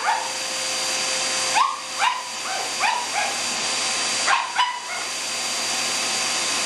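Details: Sophie, a pet Shih Tzu who loves anything with a motor, barking excitedly at a running vacuum cleaner: short, yappy, slightly rising barks in loose bursts, about six over several seconds, over the steady loud roar of the vacuum.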